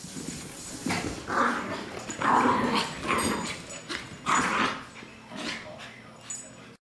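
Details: Toy fox terrier, described as fat, playing roughly with a poodle, trying to roll under her and knock her legs out; rough, noisy growls and huffs come in bursts through the clip, with scuffling and some background voices.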